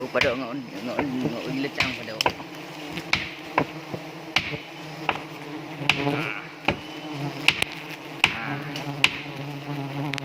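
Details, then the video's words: Honey bees in South Aceh, Indonesia, stinging as a hive box is set up: a dense, steady buzzing with a wavering pitch, broken by sharp knocks and clicks every second or so. "di sengat tawon lebah madu aceh"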